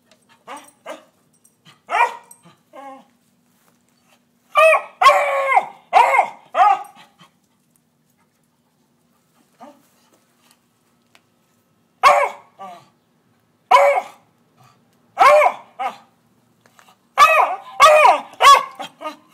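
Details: A beagle barking at squirrels gives sharp, harmonic barks, alone or in quick clusters, with short pauses between.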